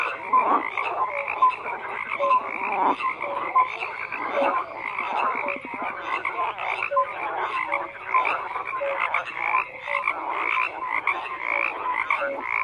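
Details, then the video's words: Many frogs croak together in a thick, continuous chorus of grating calls, layered with brief whistle-like notes at a few pitches; level and dense throughout, nothing else audible. "FROGS CROAKING"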